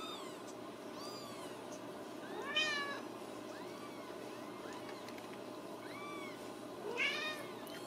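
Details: Several Ragdoll kittens at supper in a central Kansas home cattery: a string of soft, thin mewing calls overlapping from more than one kitten, with two louder, sharper meows standing out, over quiet indoor background noise.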